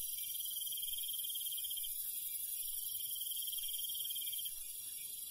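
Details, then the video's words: Rural night insects with crickets: two long pulsed trills over a steady, shrill background chorus, the trilling stopping near the end. "시골 밤벌레 소리, 귀뚜라미 소리"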